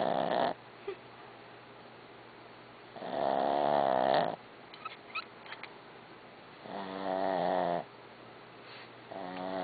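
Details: Barbie the dog snores in long rattling bursts with a rich stack of harmonics, three snores spaced about three seconds apart, faint small clicks and rustles in the quiet gaps.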